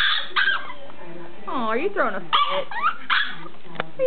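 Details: Roscoe the dog throws a fit in a pen he hates, giving wavering, rising and falling whining howls in quick succession, mixed with a person's voice.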